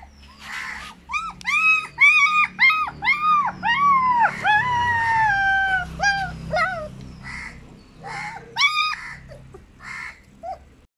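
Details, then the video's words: German Shepherd puppy named Mic crying: a run of high, arched whining cries repeated roughly twice a second, some sliding downward into longer wails, then fading into softer, broken whimpers. "German shepherd puppy #short #crying"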